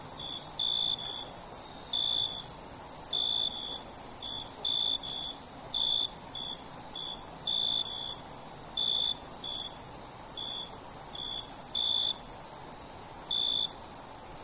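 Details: Night-time insect chorus: short high chirps repeating irregularly, about 45 per minute, over a steady, even higher continuous trill. No other sounds stand out.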